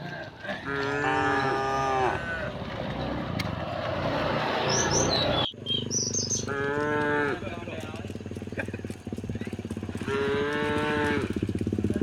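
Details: Cows of a herd walking home through a village in the morning give three drawn-out, resonant moos spaced a few seconds apart over a steady rumbling background and brief bird chirps.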